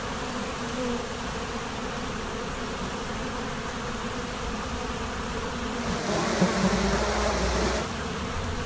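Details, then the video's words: Continuous hum of a honey bee swarm at a monastery apiary, many wings droning together; the buzz briefly swells louder and brighter for about two seconds near the end. "Пчелиный рой на монастырской пасеке"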